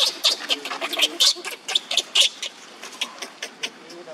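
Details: Young monkey Leo crying on the ground while another monkey, Libby, torments him; sharp, high-pitched squeals burst out in an irregular series of about one per second, loud at first and growing softer toward the end.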